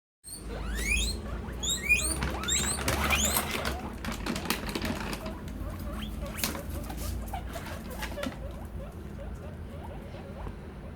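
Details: Guinea pigs wheek in quick, high, rising whistles early in the morning, telling their owners they are hungry and asking to be fed.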